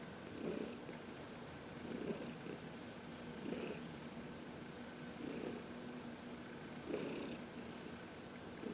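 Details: Heidi, a senior adopted cat of about 14 years, purrs contentedly while being massaged in the sun on March 19, 2021; a steady low rumbling purr swells with each breath, roughly every one and a half seconds, with soft hissy bursts on the inhales.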